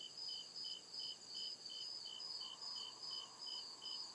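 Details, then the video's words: Crickets chirping at night in deep woods: steady high pulsed chirps, roughly two to three per second, layered with a continuous shrill trill above and a soft low hum beneath. "CRICKET CHIRPING SOUND"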